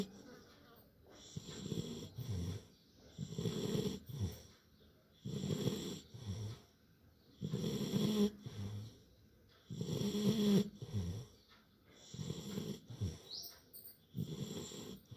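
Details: Sleeping Labrador Retriever puppy, worn out from play, snores loudly in a steady cycle of low, rough, rattling breaths about every two seconds, each surge rising and falling, with a brief faint sound near the end.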